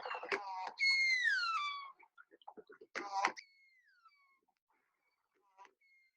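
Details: Killer whale (Orcinus orca) of the AK pod gives a pulsed call, harsh buzzy bursts sweeping down in a falling wailing tone; a pod identifier, family-specific like a last name, with a near-identical variant used by cousin pods.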